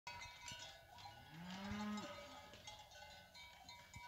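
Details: Fighting-breed cattle, cows with their calves coming down from the hills: one low, drawn-out moo rising then holding steady near the middle, amid a constant clanking of cowbells.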